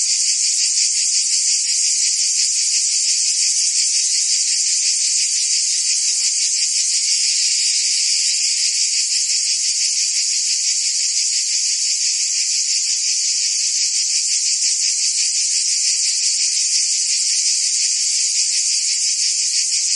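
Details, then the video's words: Crickets and other insects in a dense, unbroken high-pitched chorus, a shrill steady trill with fast faint pulsing throughout and no other sounds. "Cricket and Insect Sounds"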